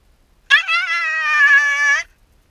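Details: A Shiba Inu called Yamato, alone while its owner is briefly out, holds one steady, plaintive whine for about one and a half seconds, beginning with a sharp onset and wavering slightly.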